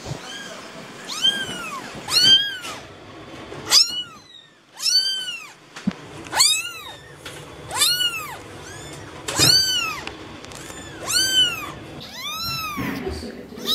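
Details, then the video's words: Kittens meowing repeatedly: about ten high, arched cries, roughly one every second or so, some overlapping, each rising then dropping in pitch, with light background noise. "Kittens meow"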